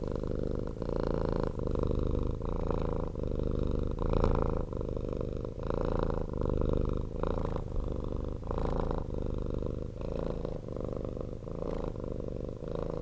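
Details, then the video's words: Domestic cat, a rescued former street cat, purring loudly and nonstop indoors; a steady low rumbling purr pulsing in regular breaths, each inhale and exhale phase lasting under a second. "CAT PURRING"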